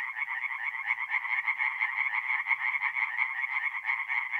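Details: Tree frogs in a forest pond at night, mid April in north-east Italy, calling in a dense continuous chorus of quick, rasping croaks with almost no other sound.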